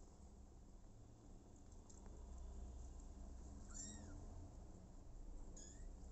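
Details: Abandoned kitten adopted by mother cat Smokey gives two short arched meows, the second brief and high, amid constant low rumbling background noise and faint clicks.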